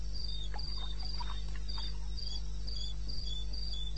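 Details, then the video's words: Night cricket in the eastern Botswana wilderness, recorded 21 May 2016 at 2:30 AM, giving a high, evenly spaced pulsing call roughly four beats per second, a low droning hum underneath and a few softer mid-pitched calls in the background. "1 Hour cricket sound"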